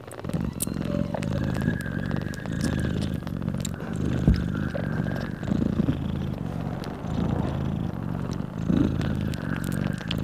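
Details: Mother cat nursing her newborn kittens, purring loudly: a continuous low rumble throughout, with faint steady tones and scattered soft knocks and scrapes in the background.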